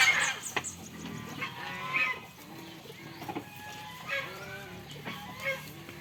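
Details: Goats on a farm, playing and eating, give short, wavering bleats, with fowl clucking faintly in the background.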